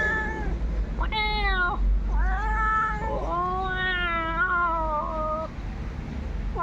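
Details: Domestic cat reacting to a human imitating cat sounds and approaching; a run of drawn-out meows, one long, wavering cry near the middle, with a continuous low hum underneath.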